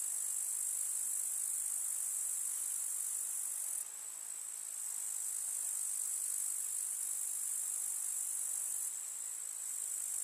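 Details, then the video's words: Countryside summer meadow grasshoppers producing an unbroken, very high sizzling chorus, easing slightly in volume around four seconds and again near nine seconds. "КУЗНЕЧИКИ. Слушать звуки летнего луга"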